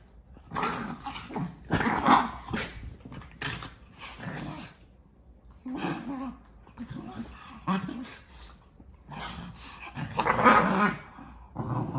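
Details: Basenji dogs play fighting in a wrestling match between siblings; bursts of rough growling and grunting yips in irregular clusters, with background music and a person talking and laughing.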